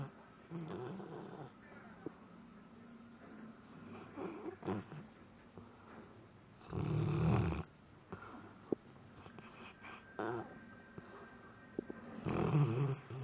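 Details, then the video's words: Labrador Retriever asleep and having nightmares, snoring indoors: quiet rasping breaths broken by two loud, low, rattling snores, one midway and one at the end, plus scattered small clicks and rustles. "LABRADOR RETRIEVER roncando/snore"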